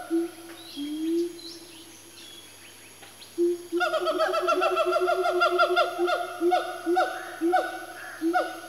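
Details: Four siamangs, one family, swing around as their calling builds into a frenzy; scattered rising whoops give way to a fast, steady series of loud repeated barks, with faint high bird chirps behind.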